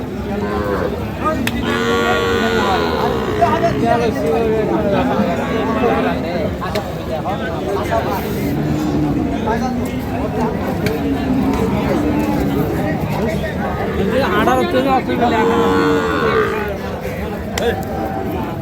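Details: Dairy cows with calves, Sahiwal, Sindhi and local breeds, at Ambari cattle market in Parbatipur, Dinajpur, Bangladesh, on 1 August 2025; low drawn-out moos rise and fall several times amid steady crowd chatter and bargaining voices.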